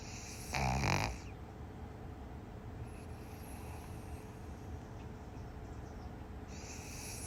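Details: Piper, a small pug, snoring while asleep and dreaming: a single loud, rough, breathy snort just after the start, then a long stretch of quiet, steady room hiss with only faint breathing.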